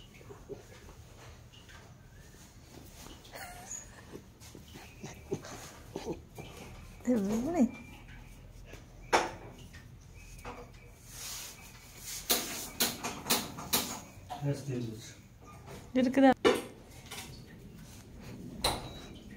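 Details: German Shepherd puppy named Bruno at play, letting out short high whimpering whines near seconds 7 and 16, mixed with scuffles, taps and a person calling its name and giving commands like "sit".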